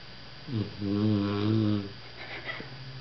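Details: Pit bull named Igor (Iggy) asleep on a lap, sawing logs: one drawn-out, low, rattling snore rising in loudness, lasting over a second, in a quiet small room.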